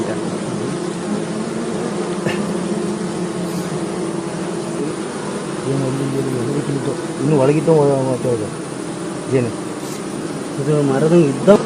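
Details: Continuous low hum of stingless bees (mojanti, mishri, nasuri) while a beekeeper catches the colony at Hebri, the drone holding steady for the whole stretch as voices come and go over it in the second half.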